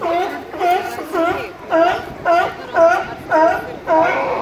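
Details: California sea lion giving a run of harmonic, nasal barks, each about half a second long and repeated roughly twice per second in a steady rhythm, with faint background murmur.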